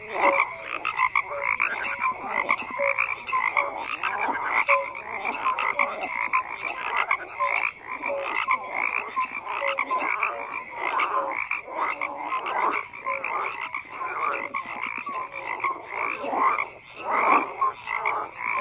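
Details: Frogs croaking in a dense, continuous chorus, overlapping rattling pulses and short tonal notes layered without pause, several callers at once with no other clear sounds.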